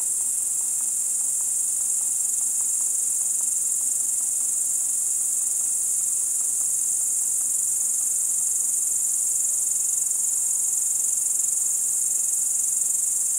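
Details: Crickets chirping at night in Kiili, 30 July 2012, recorded around 01:27 in darkness: a steady, unbroken, very high shrill trill holding at one pitch throughout, with faint soft ticks below and no other sounds.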